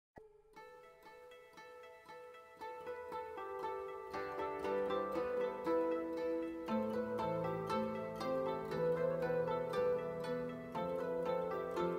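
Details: Gentle plucked harp-like music at a steady, even rhythm, growing fuller midway, with no animal sounds.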